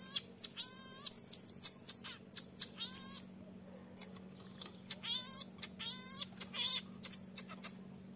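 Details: Infant marmoset begging its mother to nurse while the mother firmly refuses; rapid series of high, harmonic chirps and squeaky cries with falling tails, some short bursts crowding together, sharp clicks between calls.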